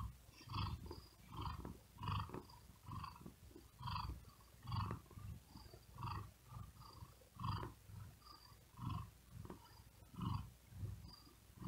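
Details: Steady, deep purr of a cat lying on a cool wooden desk because of the heat, too hot to sleep well and breathing rapidly; throbbing rumbles rise and fall about every one and a half seconds throughout.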